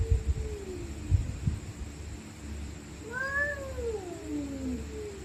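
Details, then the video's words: Night fight between stray cats: a low sustained moan fades out, then a louder wailing yowl rises and bends down into a long descending growl, with a few thumps early on against a low rumbling background. "Stray Cats Screaming At Night||Angry Cats Growling Sound|Cats Fighting Sound|Cat Making Creepy Sound"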